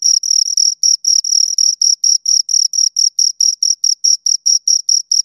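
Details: Two crickets producing high, rhythmic chirps, short scraping pulses repeated at a steady pace of a few per second, a few early ones merged into longer trills, quiet background otherwise.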